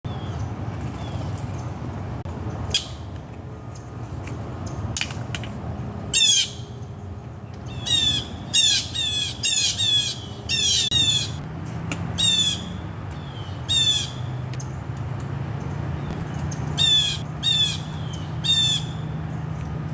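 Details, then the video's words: Squirrel crying outdoors: short bursts of rapid, scratchy, downward-sweeping chatter notes, repeated in irregular runs with gaps of about a second, over a steady low background hum. "Squirrel cry's"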